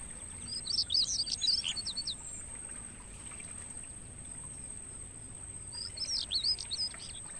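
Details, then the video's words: Mangrove forest crickets, used as bird-training audio, hold a continuous shrill high-pitched drone from start to end, while loud, fast twittering bird phrases break in at the beginning and again near the end. "Suara Jangkrik buat Masteran Burung"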